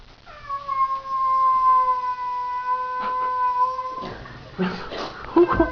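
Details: Domestic cat meeting another cat it seems to dislike: a long, steady, moaning yowl of about four seconds that sags slightly at the end, followed by people talking.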